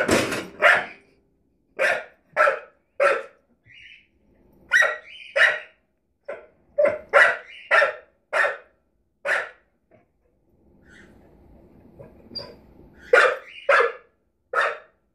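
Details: Rosie, a puppy, barks at the drawer beneath an oven indoors: a long run of crisp, repeated barks, roughly two a second in bursts, broken by short whines and a brief pause before barking resumes.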